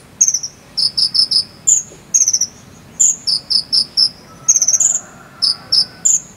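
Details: Cricket chirping in the jangkrik sambung style from Cililin, recorded as fill-in material for training konin birds to sing: short, high, ringing chirps in quick bursts of two to four, repeating steadily with brief quiet gaps.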